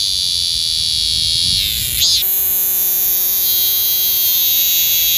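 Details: A cicada, locally maemi, sings to attract females in the Sejong University garden, South Korea; a harsh sustained high buzz with a single swelling sweep, then a steady grinding drone.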